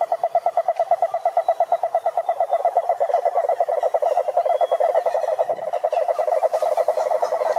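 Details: Continuous toad trill of fast, evenly spaced pulses forming a buzzing mid-pitched rattle across nearly eight seconds, with a brief thin whistle-like sound near the middle.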